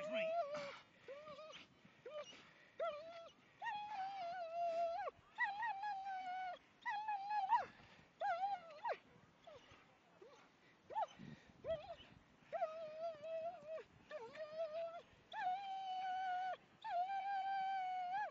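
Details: German Shepherds Ria and Meg playing in the snow at Millhouses Park, Sheffield, on 2 December 2010; a long run of drawn-out, tonal whines, each wavering slightly and breaking off, interspersed with short yelping cries.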